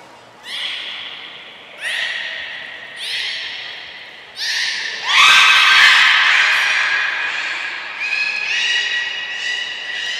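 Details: A full group of belugas in training at Port of Nagoya Public Aquarium, Japan, 2 April 2023, giving nasal, horse-like squealing calls roughly every second and a half, which build into a longer, louder burst midway and then fade into further whinnies.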